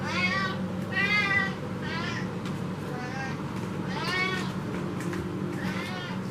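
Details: Indoor domestic cat demanding food and watching who walks under the windows, active on a cool evening; loud drawn-out harmonic meows, about four in six seconds, over a steady low stove hum.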